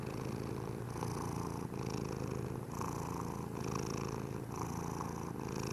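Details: Mish Mish the cat purring steadily, a low continuous rumble with soft rhythmic pulses throughout and no other clear sounds.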